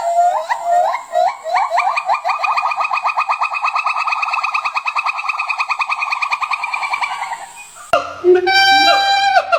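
A monkey gives a run of rising, hooting notes that quicken into a fast, even series of calls.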